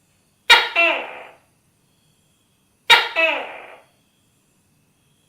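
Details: Pair of sharp two-part calls from a tokay gecko about 2.4 seconds apart, each a loud clicking onset dropping into a fading lower syllable, with the start of a third call at the very end; quiet background.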